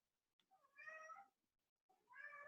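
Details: Domestic cat kept indoors, meowing because it wants to go outside; two drawn-out meows about a second apart, each sliding up then down in a plaintive, nasal tone, in an otherwise quiet room.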